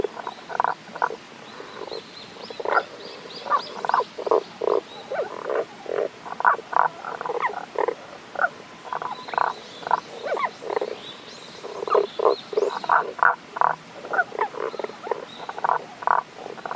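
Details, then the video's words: Tago's brown frog in a mountain stream in Japan's Kanto region, 1 April 2021, heard but not seen; steady series of short grating croaks repeated roughly every half second, in groups, over a soft hiss of running water. "タゴガエルの鳴き声（関東地方 '21.4.1.）Cries of Tago's brown frog"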